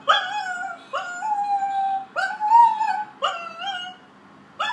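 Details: A female Blue Roan Cocker Spaniel puppy howls in a series of short, rising, wavering notes, mimicking the sirens going past.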